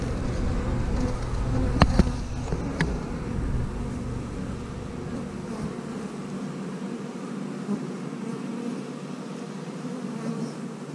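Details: House colony of honey bees with plenty of queen cells: a dense, even buzzing drone, low and constant, with a couple of knocks near the start, then settling into a softer hum.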